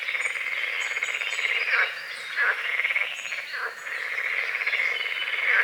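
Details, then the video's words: Morning frog chorus over a foggy lake at the edge of a forest: rapid, grating croaks overlap without pause, with short high bird chirps in the first seconds. "The sounds of morning frogs croaking"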